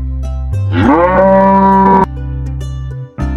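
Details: A cow gives a single drawn-out moo that rises at the start, then holds a steady tone for about a second, over continuous background music with plucked guitar.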